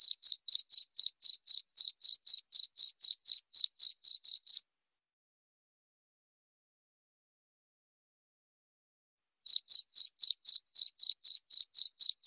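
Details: Cricket used to repel rats: a run of high, rapid chirps at about four per second breaks off into five seconds of silence, then the same bright pulsing resumes, with no background noise.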